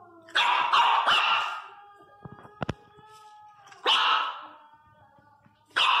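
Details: Three-month-old Miniature Pinscher puppy crying very loudly. Long, shrill, harmonic wails in bursts, with a brief pause and soft knocking sounds between them.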